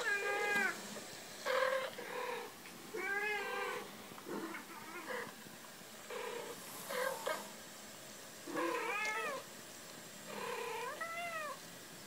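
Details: Cat meowing in a playful exchange: a series of drawn-out, tonal meows that rise and fall in arched shapes, several coming roughly every one to two seconds, with some shorter chirp-like calls between them.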